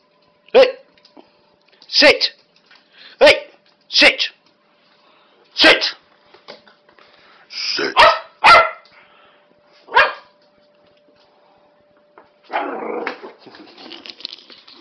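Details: Twelve-week-old female Norfolk Terrier puppy playing rough with an older dog: sharp, loud barks come in irregular bursts, about eight over ten seconds, then a rough, growly scuffling noise, with a person's voice now and then.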